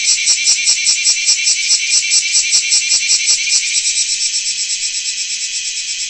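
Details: Large brown cicada (Graptopsaltria nigrofuscata) singing loudly: a harsh, dense sizzling buzz that is pulsed about two to three times per second at first, then merges into a steady, slightly wavering drone.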